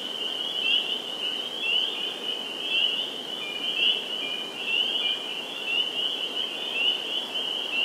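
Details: A dense chorus of spring peepers (Pseudacris crucifer) at a vernal pool in Sudbury, Massachusetts, on 11 April 2019, with many high, clear peeps overlapping into a steady ringing wall of sound.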